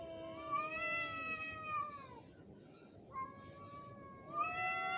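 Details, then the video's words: Angry fighting cat gives a long sinking wail, a brief pause, then shorter rising yowls that swell in loudness toward the end. "Angry cat's sound effects / cat fighting video"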